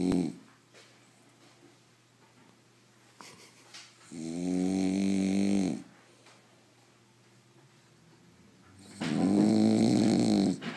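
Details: French Bulldog snoring indoors, two long rasping snores each lasting about two seconds with a harmonic, buzzy tone, separated by a quiet pause of roughly three seconds; faint breathing and small room noises between them.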